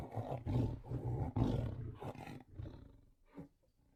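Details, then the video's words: Tiger growling in a rapid pulsing rumble, several throaty pulses per second, fading out with a last faint grunt. "sound of tiger growling"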